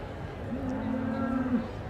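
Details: Shorthorn cattle: a single steady, fairly low moo held for about a second amid a constant murmur of background noise.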